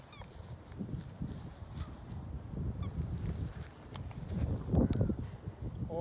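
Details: Two Great Danes, Maddie and Ellie, play tug of war with a stuffed elephant toy. Low, rumbling grunts and growls pulse rapidly and unevenly, swelling louder near the end amid scuffling.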